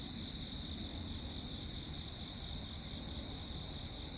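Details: On a stormy night of lightning on Jeju Island, South Korea, 15 August 2024, crickets keep up an even, rapidly pulsed high trilling, heard over heavy deep background rumble.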